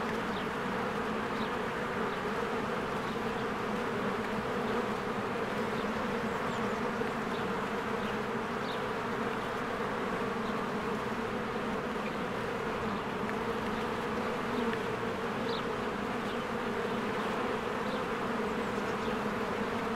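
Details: Busy honeybee colony at its hive in spring, bees streaming in and out. An unbroken droning buzz, with scattered thin high chirps, likely small birds, in the background.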